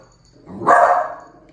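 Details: Single loud, sharp bark from a dog indoors as Tito, a two-month-old Miniature Pinscher puppy, meets Jupiter, a one-and-a-half-year-old Dachshund; the bark swells quickly and fades within a second, with quiet room noise around it.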